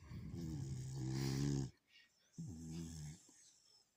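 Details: A sleeping beagle snores: a long, low, rumbling breath with steady buzzy harmonics, then a short silence and a second, shorter snore of the same deep tone.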